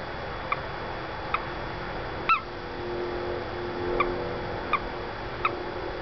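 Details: Stuck in a house's window well beside a silent female, a small male toad peeps six times in quick, uneven succession, brief chirps with harmonic overtones, one louder and slightly upswept, over a faint low hum and hiss.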